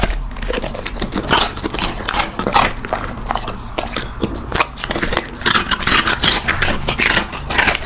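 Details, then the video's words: Close-up ASMR recording of a puppy at mealtime: rapid crisp crunches, scraping and clicking bites come in quick clusters with brief pauses, set in a small indoor room. "Immersion listening to a puppy eating with clicking sound"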